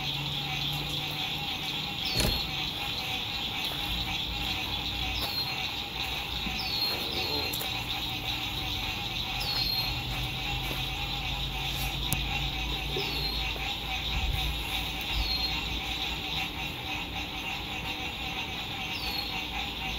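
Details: Frogs singing at sunset by a lake in spring 2021, recorded at a lakeside RV campsite: a dense, steady high trilling chorus with short descending chirps repeating every few seconds, over low road rumble and occasional clicks.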